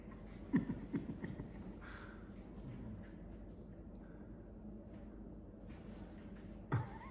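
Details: A Cairn Terrier growls low and steadily while playing "mine", guarding a toy, with a few sharp snorts.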